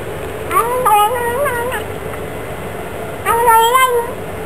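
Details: Pet Bengal cat giving two chattering, trilled meows with wavering pitch, each lasting about a second, separated by a quiet pause over a steady low hum.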